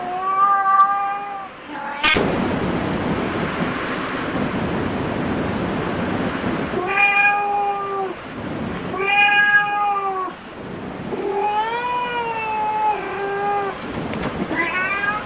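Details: Cat at a cat cafe giving a series of meows: a short call at the start, then longer drawn-out meows with rising and falling contours later, separated by a burst of broadband background noise.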